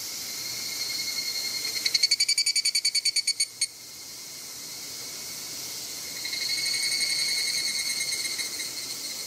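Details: An evening cicada (higurashi) at Izumo Ibahi Shrine in Moroyama, Japan, on 2 August 2020, gives a quick series of ringing, metallic pulses over a steady buzz of other insects.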